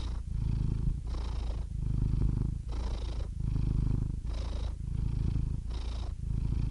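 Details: A cat purring steadily, a deep, low rumble that swells and fades with each breath, roughly every second and a half, with soft airy hisses between the swells.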